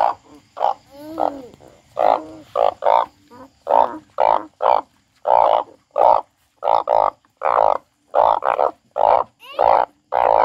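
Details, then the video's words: Frog crying: a rapid string of loud, rasping croaks, closely spaced and slightly uneven, some doubled, filling the whole stretch with only short silences between them. "The frog crying"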